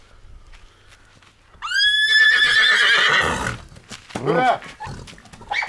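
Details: Stallion kept with a mare: one loud, strongly harmonic neigh that starts high, rises briefly, then holds and quavers for about two seconds before breaking off, followed by people talking and a short voiced sound.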